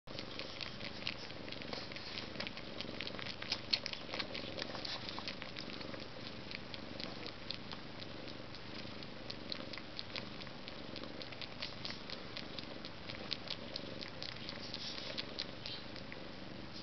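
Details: Maine Coon cats, two of them, one all white; a steady low rumbling purr runs throughout, overlaid with frequent soft clicking and patter sounds.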